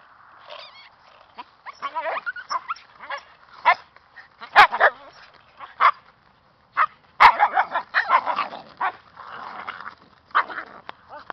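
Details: Siberian husky puppies making overlapping short squeaky yips, whines and grunts in irregular bursts, with a couple of sharp clicks or knocks.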